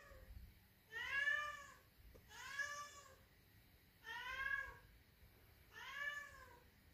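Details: A Siamese cat gives four loud, drawn-out meows from downstairs, each rising then falling, trying to get its owner to come down; the owner wonders whether it wants to go outside.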